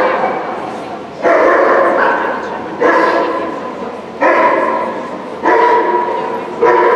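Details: Border Collie Guy competing in Obedience-1 at the St Petersburg Cup on 11 February 2018, barking in repeated echoing bursts roughly every one to one and a half seconds, with hall background noise between.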